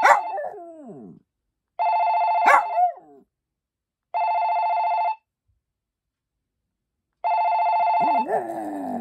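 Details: A Maltese named Poppy opens with a falling, wavering howl, then joins a series of steady one-second telephone rings with brief bending cries between the tones.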